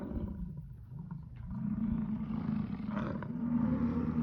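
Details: Rutting American bison in Yellowstone National Park giving a long, low, guttural bellow that swells louder toward the end, rough and vibrating throughout, with no other clear sounds.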